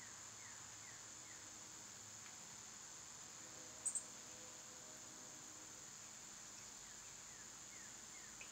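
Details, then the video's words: Cicadas loud in summertime produce a steady, sizzling high drone, overlaid by repeated short downward bird chirps at the beginning and end and a brief double click near four seconds. "Cicada sounds"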